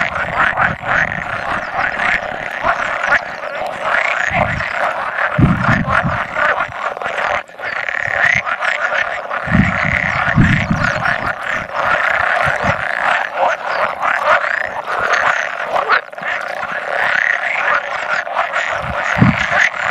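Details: Dense chorus of about 100 male pool frogs at spawning, recorded 16 May 2017, with two edible frogs occasionally croaking; continuous overlapping rattling croaks fill the clip, broken by low dull thumps.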